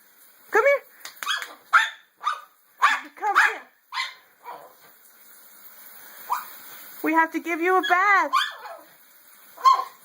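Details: Pet dog, female, resisting her bath while her owner calls her over; a string of short, sharp barks in quick succession, then a run of rising-and-falling whining yelps, with a person's coaxing voice between.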